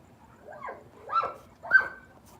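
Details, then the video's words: Dogs barking excitedly at night because a family member has just pulled up outside; three hoarse, rising-and-falling barks spread over about two seconds, fairly distant and low in level. "you can hear the dogs going ape because the wife just pulled up"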